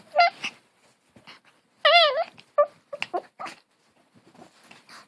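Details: Long-haired Chihuahua puppy making a funny growling 'grrrrr' said to sound like a hunting dog: a short high whine, then a wavering, bending yelp near the middle, followed by soft scattered grunts and yips in a quiet indoor room.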